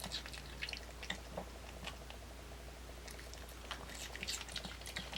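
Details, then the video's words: Dungi, a pet dog, eating an apple indoors, unedited: crisp crunching bites come in irregular bursts across the clip, sharp clicks and wet chewing in a small quiet room. "강아지 사과 먹방"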